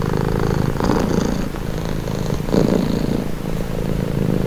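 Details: Calming purr of a domestic cat, low vibrating drone broken into soft rhythmic surges as the animal breathes in and out.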